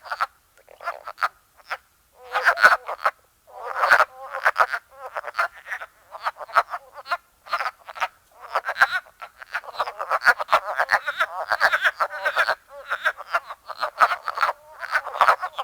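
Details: Spring frog chorus from Ottawa County, Michigan, a dense run of rough, clacking croaks from several callers overlapping continuously, rising and falling in loudness with brief pauses.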